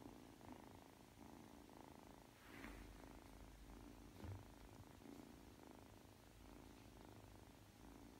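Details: Aki, a three-month-old Ragdoll kitten, purring softly while kneading before falling asleep; a quiet, steady low rumble with faint rhythmic pulses throughout, and a brief soft rustle near the middle.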